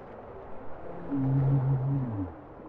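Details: Bowhead whale song: one deep, resonant moan with stacked harmonics, rising in loudness and then dropping in pitch as it fades, heard through low undersea background noise.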